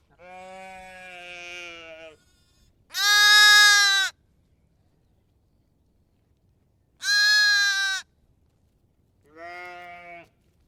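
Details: A lamb or sheep gives four wavering, nasal bleats, two of them loud and high-pitched, with quiet pauses between.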